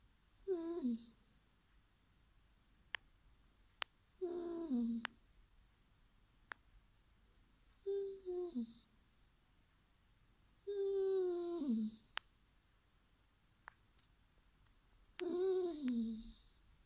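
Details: Basset Hound named Bodzio, chased off a bed by a cat indoors, giving long, drawn-out moaning groans that slide downward in pitch, five separate calls spaced a few seconds apart, with faint clicks between them in a quiet room.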